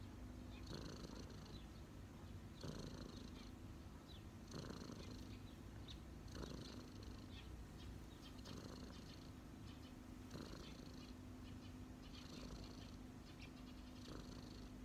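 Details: Resting on someone's knees, a street cat keeps up a low, rumbling purr that rises and falls with each breath about every two seconds, with a faint steady hum underneath.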